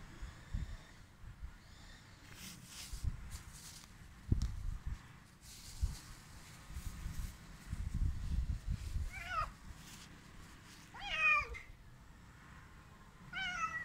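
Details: Hungry stray cats being fed, meowing: three clear harmonic meows with rising-falling pitch near the end, each under a second, over low rumbling handling noises and scattered clatter.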